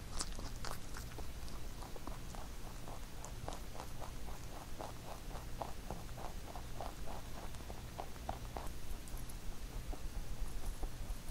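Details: Pet rabbit Huchu eating a carrot songpyeon made for Chuseok, recorded close up indoors: a steady run of crisp, rapid crunching and biting clicks, a few per second, over a low room hum.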